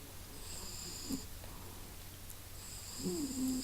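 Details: A cat named Masya snuffles and snores: soft, breathy, continuous sniffing noise with a low steady hum beneath, faint high steady tones in the background, and a short wheezy whistle sliding downward near the end.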